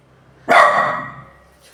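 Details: A pet dog barking loudly: a single sharp, harsh bark that starts abruptly and fades over about a second, with quiet surroundings.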